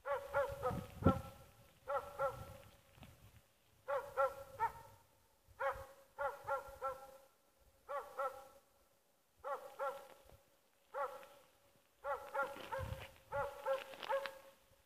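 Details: Dog named Åndorra, also called Schampoo, amusing herself; tonal, whiny yelps with layered overtones come in short bursts of several notes, repeating about every two seconds with brief quiet gaps, outdoors.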